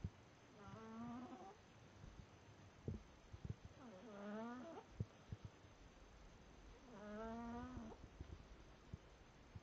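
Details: Pet cat named Smokey snoring: three drawn-out, tonal, slightly wavering breaths with a nasal, harmonic quality, each about a second long and spaced roughly three seconds apart, with soft clicks and room hiss between.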